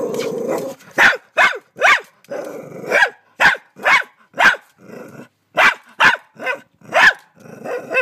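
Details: A frightened dog in Australia tries to bite a huge mantis, letting out a quick run of sharp, harsh barks about every half second, with low rumbling growls filling the gaps between bursts.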